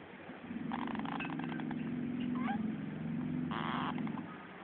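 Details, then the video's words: Hammie, a female Teddy Bear hamster asleep in her cage, snores with a low, steady, buzzing rattle. Short bursts of higher, scratchy rustling sound over it. "Cute Snoring Hamster"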